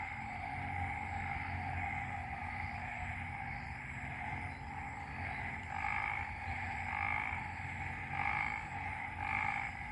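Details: Frog chorus after a night of rain in Ubon Ratchathani, Isaan, Thailand: a dense, continuous droning of many frogs in steady layered tones, with louder pulsed calls swelling in toward the end over a low background rumble.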